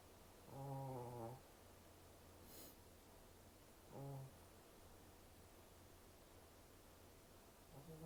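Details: Snoring Shih Tzu, a brachycephalic breed with a short snout and short breathing passage: a low humming snore near the start, a shorter one about three seconds later and another beginning at the end, with quiet breathing noise between.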